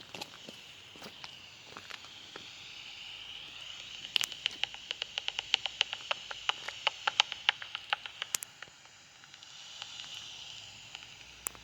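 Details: Two common pipistrelles (Pipistrellus pipistrellus) foraging by Sheffield General Cemetery and the Porter Brook, heard through a bat detector: dry, irregular echolocation ticks and clicks that speed up into quick runs midway, over a steady electronic hiss.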